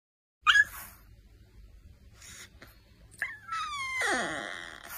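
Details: A puppy making soft sounds: brief high squeaks near the start, then after a quiet stretch a longer, wavering whine with a rising, strained yelp.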